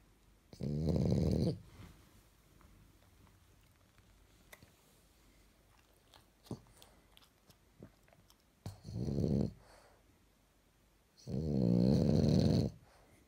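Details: French Bulldog in pajamas snoring in a quiet room: three rumbling snores, the middle one shorter and softer, with faint clicks and rustles between them.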